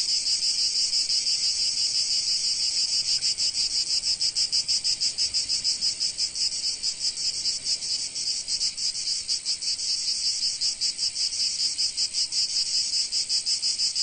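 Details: Shrill, continuous buzzing of many cicadas under the Provence sun, with a rapid flickering throb running through the whole chorus and nothing else audible.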